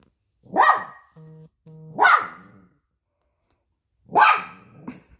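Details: Young poodle, offended when food is offered on paper, gives three sharp barks about a second and a half apart, with a short low humming tone between the first two.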